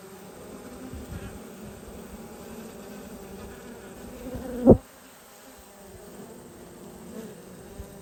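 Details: Honey bees during a hive inspection on 19/3/22 give a low, steady droning hum, with a single sharp click near the middle.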